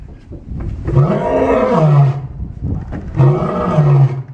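A white lion gives two deep, drawn-out roars, each swelling and fading over about a second.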